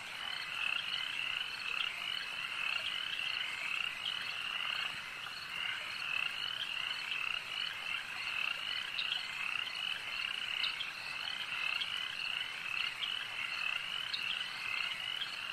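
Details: Frogs calling at a lake: a dense, unbroken chorus of high, rattling trills from many overlapping callers, steady in loudness for the whole stretch, with brief sharper chirps standing out now and then.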